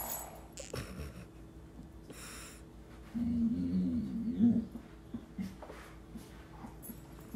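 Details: Bored Brittany Spaniel playing with a doorstop gives one short, low, grumbling whine of about a second and a half midway through. Clicks and soft thumps come before and after, with a faint murmur of a person.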